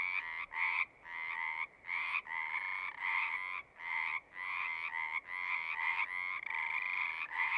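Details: Frogs calling at a pond in a horse pasture, Zoom recording; bursts of trilling, some long and some short, with brief silent breaks between overlapping callers.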